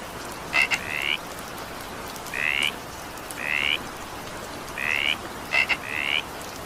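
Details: A frog gives short, buzzy, slightly rising calls every second or two over steady evening rain.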